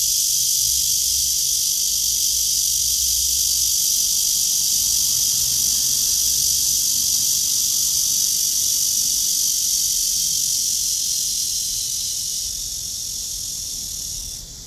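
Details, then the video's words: Cicada calling from a tree on a morning walk, 23 August 2020 at 9:27, blue sky overhead; an intense, continuous shrill buzz holds steady, then softens and fades over the last few seconds. "나무에 매미 파란 하늘"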